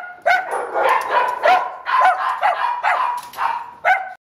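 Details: Shelter Chihuahua, a six-year-old neutered male in Downey, California, November 2015, lets out a string of shrill, ringing yaps spaced roughly half a second apart, each with a harsh edge.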